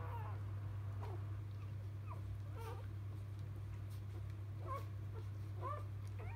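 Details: Freshly born field Labrador Retriever puppies, Biscuit's litter, give sparse brief squeaks, a few seconds apart, some sliding upward, against a steady background hum.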